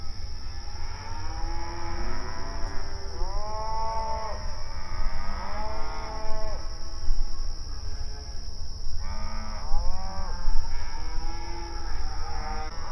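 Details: Open range cattle grazing on outdoor pasture, mooing to each other; a cluster of arched, falling moos in the first half, a pause, then several more moos near the end, over low rumbling noise.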